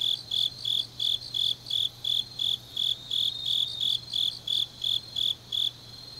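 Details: Grass insect song on a deep autumn night in Changnyeong, Korea, shrill pulsed chirps about three each second with a second caller alternating just above, steady rhythm, low background hum.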